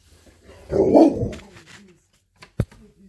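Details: Siberian Husky Monroe, lounging on kitchen counters, reacting after spotting a squirrel through the window: one husky, muffled bark-howl lasting under a second, followed by a short sharp knock and quiet room sounds.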